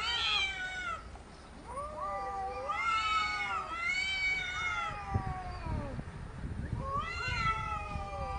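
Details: Arguing cats trade drawn-out, bending meows, some sliding upward and others dipping, several voices overlapping in quick succession with brief quieter gaps and a few thumps between calls.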